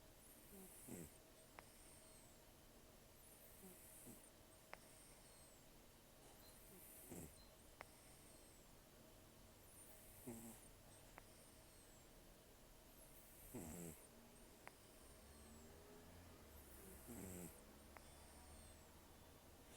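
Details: Rough nasal snoring from a sleeping rescue cat named Taro, estimated 10 to 14 years old with very few teeth: slow airy inhale-exhale cycles about every three seconds, low rumbles beneath, and faint room hiss throughout.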